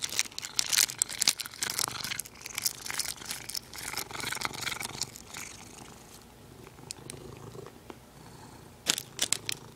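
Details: Indoor cat with its favourite plastic: loud crackling and crumpling of plastic dominates the first seconds, then a soft continuous low purr comes through beneath scattered crinkles.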